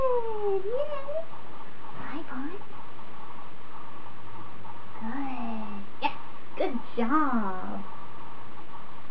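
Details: Whimpering from Bond, a 28-day-old Standard Poodle puppy training as a future service dog: clusters of wavering, rising-and-falling squeals at the start and again around six to eight seconds, with a brief gap between.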